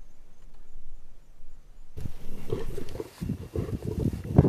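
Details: Tiger moving along a road; after two seconds of quiet, a run of deep, rough roaring bursts starts and repeats unevenly to the end.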